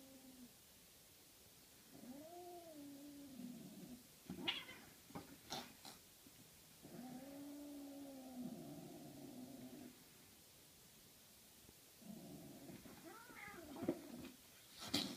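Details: During play between a Norwegian Forest cat and a 13-week-old Ragdoll kitten indoors, three drawn-out, wavering moans sound, each lasting two to three seconds, separated by bursts of scuffling and thumps from the playing cats.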